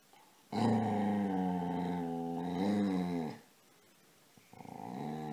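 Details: Casy, a pet dog, wanting to be petted while playing, lets out a long, low, droning grumble lasting about three seconds, then starts a second, rising moan.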